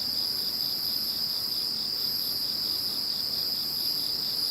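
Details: After Typhoon No. 21 moved away, insects keep up a dense high-pitched ringing trill, constant in level, with softer pulsed chirps shimmering on top.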